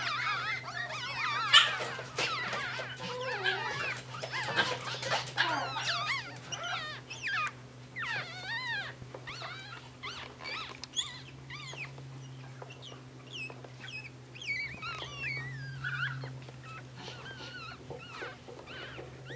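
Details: Three Yorkshire terrier puppy siblings give high, squeaky whimpers that arch up and down in quick, irregular bursts.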